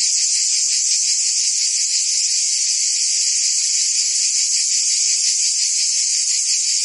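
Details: Provence summer cicadas in France singing as one steady, piercing high-pitched drone without pause, a fine rapid throb running through the lower part, no birds or voices heard.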